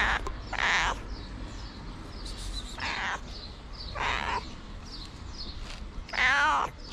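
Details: White feral cat asking for food, giving four drawn-out meows spaced about every one to two seconds, the last one wavering, against constant low street rumble.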